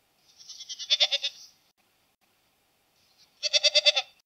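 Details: Two tremulous goat bleats, the first longer and swelling from a soft start, the second sharper and pulsing, separated by about two seconds of quiet.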